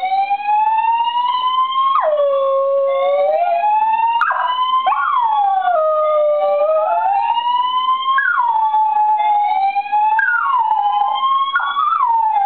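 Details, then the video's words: Charlie, a dachshund, howls during a building's monthly fire alarm test. Wavering howls repeatedly swoop down and climb back up beneath the loud, rising, repeating sweeps of the siren. "Dog singing to fire alarm"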